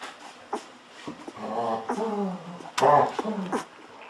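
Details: Golden Retriever puppies, fourteen days old, hungry while being fed milk from a bottle indoors; short harmonic whines and squeals rise and fall between sucking and smacking noises, with one louder squeal near the end.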